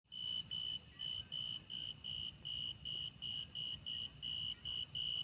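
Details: Grasshoppers: a steady train of clear, high, pure-toned chirps, about fourteen in five seconds, each roughly a quarter-second long with short even gaps, over a low rumbling background.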